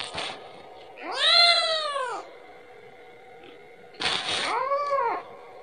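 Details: Kitten asking its mother for milk with two drawn-out, bowed meows three seconds apart, each over a second long and rich in harmonics, preceded by a short noisy burst.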